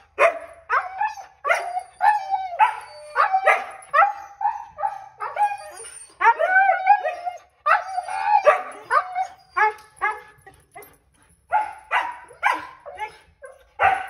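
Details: Excited Siberian Huskies Kovu and Luna react to their harnesses, knowing a dog park outing is coming: a steady run of short harmonic howls, yips and barks, bursts every half second or so, with a few longer wavering notes mid-sequence.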